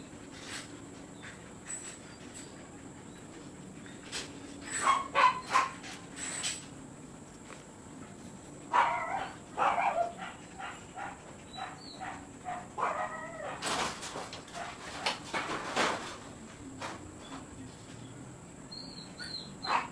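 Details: Siberian Husky at a kennel during stud service: scattered bursts of short, high, whiny yips and whimpers, clustered around five, nine to ten and fourteen to sixteen seconds, with quiet gaps between.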